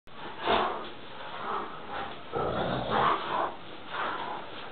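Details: Two Great Danes give rough, breathy growls and huffs in short bursts about once a second while playing with the same teddy.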